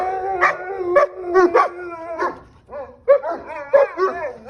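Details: Cane Corso dogs answering police sirens with short, wavering howls mixed with barks and yips. Repeated rising-falling cries overlap, with a brief lull midway before the chorus resumes.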